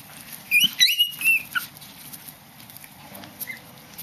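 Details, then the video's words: Black Chihuahua puppies playing in Bangkok, Thailand, give a quick burst of high, thin squeaky yelps and whines during the first second and a half, then fall quiet over faint steady background hiss. "Black Chihuahua puppies playing"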